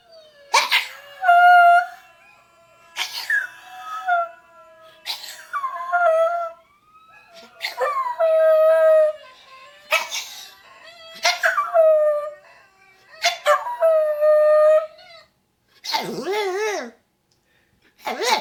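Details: Scottish Terrier attempting to howl: a series of drawn-out, wavering tonal howls, each lasting one to two seconds with short pauses between, sliding down in pitch, repeated about seven times, ending in a rougher quavering yowl.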